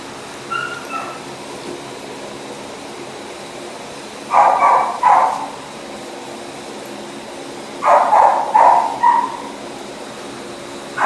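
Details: Male Husky boxer mix: a brief thin whine near the start, then two clusters of gruff, paired barks several seconds apart, each burst short and harsh against a quiet humming background.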